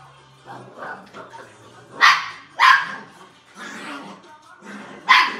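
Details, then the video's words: Playful poodle barking in loud single yaps spaced about half a second to a second apart, with low grumbling noises and faint background sound between the barks. "Poodle play"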